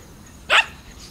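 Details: Mother Shiba Inu outdoors on a hot summer day, mid-September 2017, with her puppies born in mid-August 2017, barking at crows. A single short, sharp bark bursts out over a steady low background hum.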